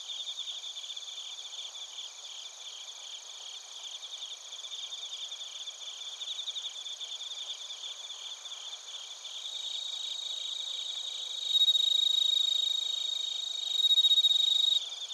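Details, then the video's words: Crickets and bell crickets chirp together at Narita, Chiba, Japan, recorded on a TASCAM Portacapture X8. Rapid, regular high pulses form a constant buzzy bed. Near the end, a clear ringing tone swells in twice, louder than the chorus. "スズムシとコオロギの鳴き声 - Chirping of crickets"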